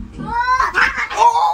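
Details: A domestic cat indoors, referred to as him, gives a drawn-out, wavering meow of about a second and a half. The tone swells, dips briefly near the middle, then holds steady before fading.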